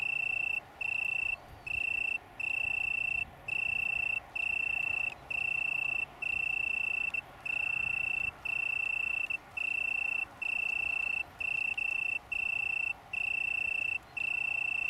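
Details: Oecanthus pellucens singing in a small colony on the downs near Brighton, UK, in September 2019: continuous run of short pure trills, each under a second, divided by brief regular pauses, with faint distant background noise.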